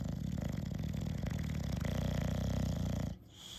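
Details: Dozer the Bulldog enjoying ear scratches: a rapid, rattling low snore-like snort, buzzing steadily for three seconds before stopping abruptly into quiet.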